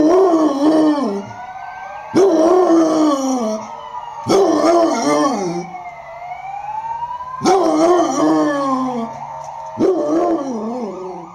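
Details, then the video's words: Basset Hound Bodzio, who lives near a hospital and howls day and night with passing ambulances and police cars, gives five loud howls that start high and drop, about every two seconds, over a wailing police siren. "BASSET HOUND wyje z karetką i policją"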